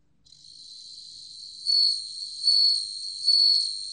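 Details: Bell cricket singing: a thin, high, steady ringing tone that swells into louder bell-like pulses about every 0.8 seconds, three swells heard, with no other sounds.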